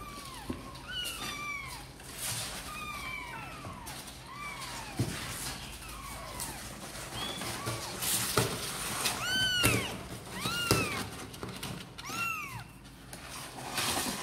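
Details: Kittens eager to come out and play, calling with a rapid series of thin, high arched meows, several voices alternating, nearly one each second, against faint indoor rustling.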